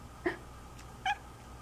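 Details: Pet cat talking with its humans: two brief, chirpy meows roughly a second apart, each with bright stacked overtones, over quiet indoor background hum.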